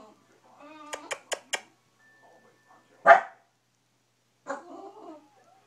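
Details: Bulldog named Stella making morning complaints: a quick run of four short grumbling yips, a pause, then one sharp loud bark and a final low grumbling moan, indoors with no other sounds.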